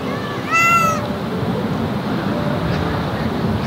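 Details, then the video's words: Cat on an outdoor walk gives a single clear meow about half a second long, rising then level with strong harmonics, over steady outdoor background noise; a person speaks before and after. "고양이와 산책을 다니면 생기는 일 | 고양이산책"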